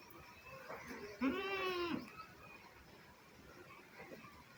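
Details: Baby goat on a village farm, kids playing and exploring, gives one clear, quavering, nasal bleat lasting under a second, with fainter bleats before and after and soft rustling background noise.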